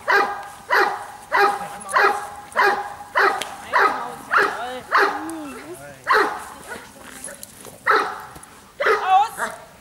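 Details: Steady series of heavy, gruff barks from the Giant Schnauzer Bayuma (Blackmoore Radinie), roughly one every second, with a person's voice briefly rising and falling between barks around the middle.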